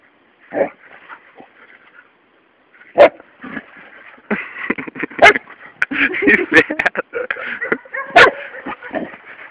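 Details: Luna, a three-month-old Labrador Retriever puppy, playing with a toad: a few short, sharp yips and barks scattered over several seconds, mixed with a man talking in Portuguese and soft rustling.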